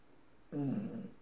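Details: Sleeping English bulldog with eyes open gives a short snorting snore, about half a second long, low and throaty, rising out of near silence and fading.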